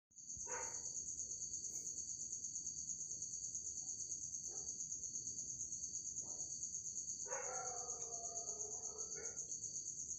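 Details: Unidentified insect trapped in a bottle inside a home, giving a continuous, very high, shrill ringing trill that holds steady for the whole stretch, while a voice talks in Tamil over it in short bursts.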